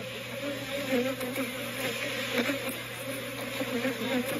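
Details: Thousands of agitated, defensive honey bees buzz loudly in a steady, wavering drone, dive-bombing during a quick spring hive inspection.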